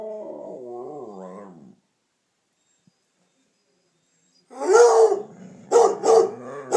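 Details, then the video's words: Damion, a pet dog at home, joins in as Piper, a Redbone Coonhound, barks and bays. A wavering, tonal howl opens and fades to a pause, then loud, rough barks and baying burst in close together. "Howling, yawning and talking.........Damion does it all!"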